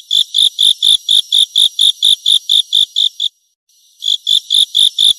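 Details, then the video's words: Grasshopper sound: a steady run of about fourteen sharp, rasping high-pitched pulses, a brief pause, then about six more at the same quick regular pace, in otherwise silent surroundings. "เสียงตั๊กแตน Grasshopper Sound"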